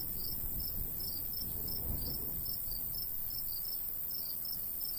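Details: Crickets in a summertime golden wheat field countryside, high pulsed chirps at about four per second, somewhat uneven, set against a light breeze's low hiss and rumble.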